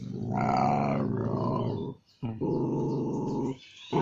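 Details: Salivating dog giving a deep, rough, continuous growl lasting about two seconds, a brief pause, then a second steady growl of over a second, ending with the start of a third; low rumbling tone indoors.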